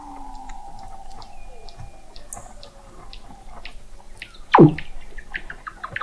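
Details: Weddell seal vocalizations captured 21 m below the sea ice of McMurdo Sound, Antarctica, in November 2017: a sustained low tone, a brief sharp high downsweep, then a loud plunging descending call, with scattered clicks throughout.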